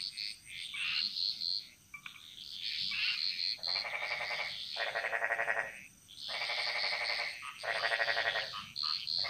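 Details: Balinese jungle frog chorus where chirping callers give way to long, buzzy, rattling croaks lasting about a second each, repeated several times amid the lighter chirps and a steady high hum.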